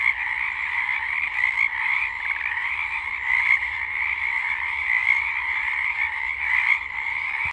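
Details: Pacific chorus frog. Pacific chorus frogs call together in a thick chorus, their raspy two-part croaks overlapping so closely that they merge into a continuous trill. Individual calls pulse faintly through the wall of sound.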